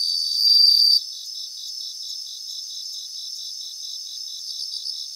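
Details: Singing bell crickets in grassland: a loud high trill in the first second, then a softer steady chorus of fast, evenly spaced pulses and faint ringing tones.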